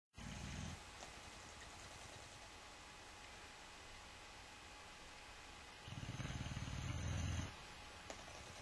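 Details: Sleeping Boxer dog snoring, two low rumbling snores about five seconds apart, each roughly a second long, with a quiet steady background hum between them.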